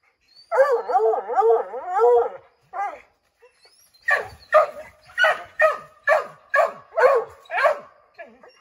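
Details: A wavering coonhound bawl opens, then a steady series of sharp barks about every half second as five Redbone Coonhounds try to drive a chipmunk from an oak tree.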